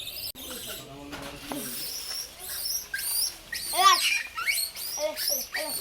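A baby langur gives short, high, arching squeals in quick bursts while people talk nearby.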